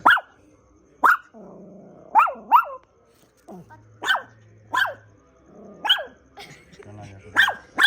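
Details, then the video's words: A dog barks repeatedly in short, abrupt yaps, often in pairs, while human voices and a low hum fill the gaps. "Funny Dog video"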